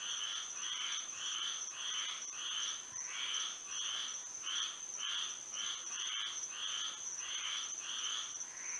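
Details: Moonlit Florida night with a frog chorus: rhythmic bursts of grating calls repeating a little faster than once a second, several animals overlapping, accompanied by a continuous shrill insect drone.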